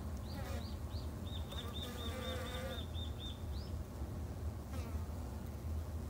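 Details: Low, rumbling hum of Japanese honey bees at a garden hive in Japan, kept by a three-month beginner. A bird gives a rapid series of high, repeated chirping notes over the first half.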